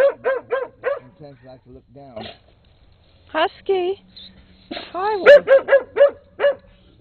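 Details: Late-2006 recording of Rusty, a brown skinny mutt, yapping near a red Husky named Peekero: quick high barks open, fading to softer yelps, then after a gap a wavering whine and a final run of sharp barks.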